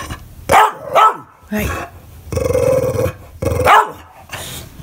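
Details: English Bulldog barking and crying when nobody plays with him: several loud barks, a sustained growling moan about a second long, then more barks, indoors.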